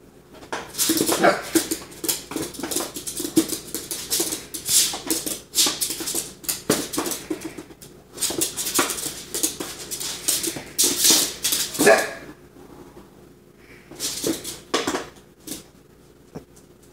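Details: An Italian Greyhound playing with another dog gives short, sharp barks and yips amid bursts of scuffling noise.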